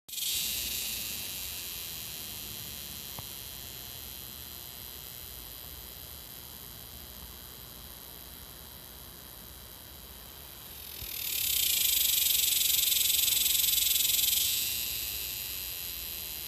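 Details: A Texas cicada in North Texas (Dallas area) gives a loud, shrill, steady buzz, swelling for a few seconds before easing off.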